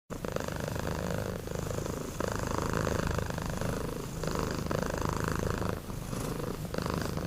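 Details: Two kittens named Sapi and Kebo, sound asleep and snoring: a low, steady rumbling with breathing phases that swell and ease every couple of seconds, a faint higher rasp riding on top.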